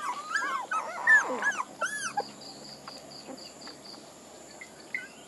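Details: Puppies burst out with a cluster of harmonic whimpers and squeals in the first two seconds, then fall mostly quiet, leaving a steady series of high beeps and one or two faint late whines.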